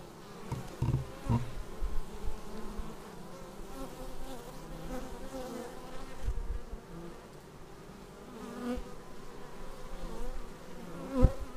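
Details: Bees flying in to their hive, captured on a Xiaomi Yi action camera: a dense, low, droning hum of many wings. Individual buzzes swell and fade as bees pass close, with a few soft knocks and a sharp tap at the end.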